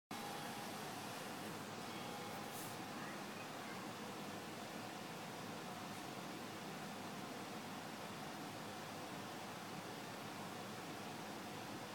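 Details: Steady broadband hiss with low traffic-like rumble, no animal voice or howling audible.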